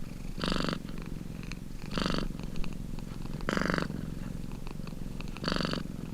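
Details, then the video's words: Purring domestic cat heard up close, a soft buzzing rumble with four strong breathy swells spaced about one and a half to two seconds apart. "CAT PURRING"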